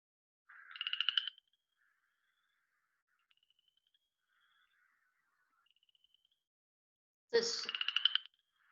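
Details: Cajun chorus frog (Pseudacris fouquettei) from the Southeast Texas (Houston) area giving two quiet, short, ascending trills of rapid clicks, like fingers run along a comb.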